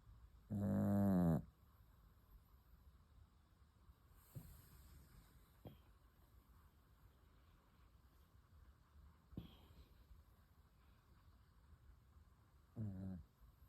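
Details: Sleeping puppy snoring: one loud harmonic snore near the start and another at the end, with faint soft breaths in between over a quiet background.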